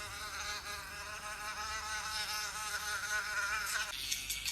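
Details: A fly in flight: a droning, slightly wavering buzz rich in overtones that runs for nearly four seconds, then cuts off into a hissy, scratchy background.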